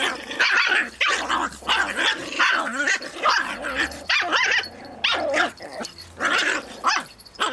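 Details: Two dogs, Pip and tiny female Bracken, play-wrestling over a twig as Pip goes into 'Tornado Mode'; rapid, tightly spaced bursts of harsh barks and growly yaps, nearly continuous with short gaps, some with a wavering, whining edge.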